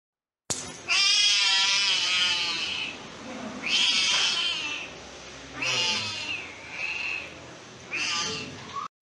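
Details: Rescued stray kitten taken from a public street meowing loudly: five drawn-out, high, wavering cries, each one to two seconds long, separated by short pauses, indoors.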